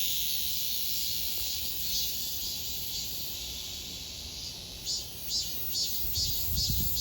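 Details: Cicadas in Donghae, South Korea, 2022: a steady shrill hiss runs throughout, joined near the end by a short series of louder rhythmic pulses, with a faint low rumble at the close.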